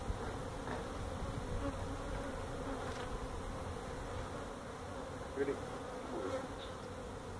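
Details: Honey bees from a feral hive inside a tractor tire at a citrus orchard in Mission, Texas, being removed: an even, low swarm drone holding steady throughout, with faint wingbeat whines over it.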